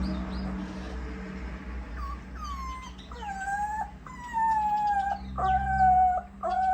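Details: Puppies suckling their mother's milk: high, whistled whines sliding gently downward, several drawn-out cries in a row growing louder, over a steady low hum.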